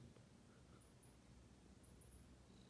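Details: Queen Loaftifa, a pet cat, purring indoors while checking her food; low steady rumbling purr throughout with a few faint high clicks and soft encouraging speech nearby.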